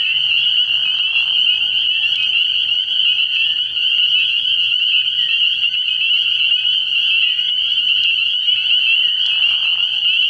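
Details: Night chorus of many spring peepers at a frog pond in early spring: steady, piercing high peeping that never pauses, with short lower raspy bursts at the start and end.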